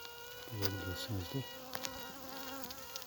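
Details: At about 8 pm, a newly emerged honey bee queen in a requeening hive pipes a steady, reedy, slightly wavering tone, threatening rival queens still sealed in their cells, which answer back.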